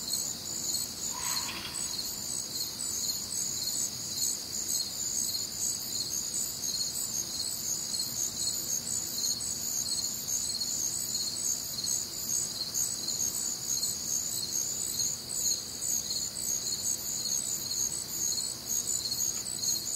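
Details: Night chorus of crickets recorded one warm, humid summer evening in the Midwest: continuous high trilling chirps in stacked bands, pulsing roughly twice a second, with one brief lower chirp from another caller early on.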